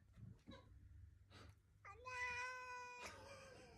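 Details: Pet cat, after a few soft noises, lets out one long, even, wailing meow that holds its pitch for about a second, followed by a brief thump.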